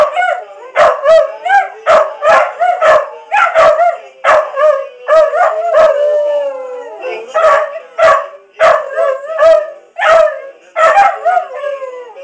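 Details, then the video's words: Two pet dogs howl together in a singing duet. Wavering, harmonic yowls break into rapid pulsing yips, with one long sliding, descending howl near the middle, continuous for twelve seconds. "Singing Puppies"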